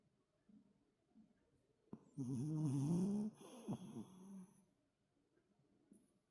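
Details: Heavy snoring from Toto, a toy poodle in deep sleep after an energetic play session. Soft breaths build into one loud, rasping, harmonic snore lasting about a second, followed by a quieter wavering snore trailing off.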